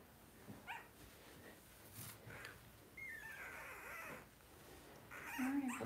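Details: Two-week-old blenheim Cavalier King Charles Spaniel puppies, a litter of five with their mother Paris, indoors in a puppy pen at night during potty training; thin, high whining squeals rise and bend, with a longer harmonic cry near the end and soft rustling.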